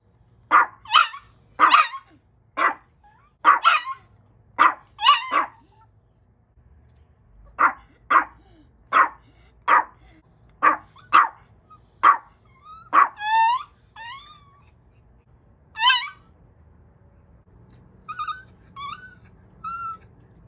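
A Chihuahua gives a run of sharp, high yaps, then thin wavering whines that sound oddly cat-like.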